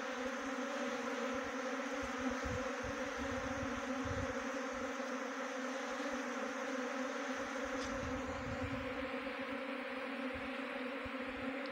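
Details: Swarming honey bees recorded during swarm trapping at Khokti Marlau, Dehradun, Uttarakhand: a long, constant hum of many wings, steady in pitch, with brief soft knocks and rustles.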